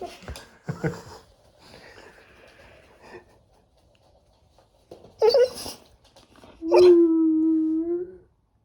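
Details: Pado, a pet Labrador Retriever, talks back in a heated argument with the father of the household indoors. After soft early sounds comes a sharp rising yelp, then a long steady whining howl with a slight upward bend before it stops.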